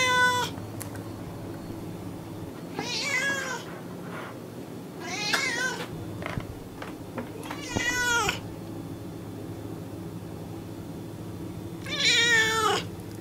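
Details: Domestic cat, described as American, giving several short, bright meows over a steady background hum and broadband noise. The calls come in uneven bursts a few seconds apart.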